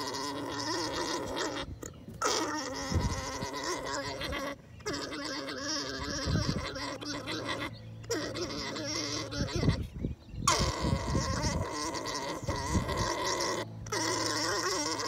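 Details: During breeding, an alpaca makes a steady, rough, humming gurgle that stops for short breaths several times. Heavy low bumps and rustling come throughout.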